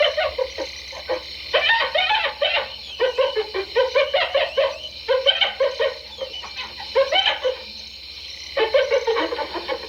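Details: Giggling hyena calls come in rapid pulsed bursts, each a quick run of chattering notes lasting about a second, separated by short pauses and repeated around six times across the recording.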